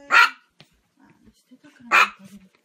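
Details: Domestic dog barking in a funny pet compilation: two loud, sharp, broadband barks about two seconds apart, with quiet low grumbling and small noises between them.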